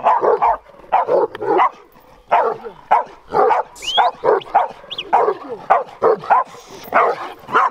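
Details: In 2021 footage, a big Bucovina Shepherd Dog of powerful temperament barks steadily in quick paired and tripled woofs. Its voice is rough and mid-pitched, and a thin whistle-like sound appears briefly in the background.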